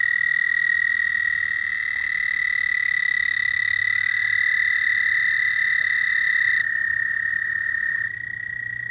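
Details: Dense nighttime frog chorus: several overlapping, unbroken high trills droning on together for nearly nine seconds, with one voice dropping out near the end.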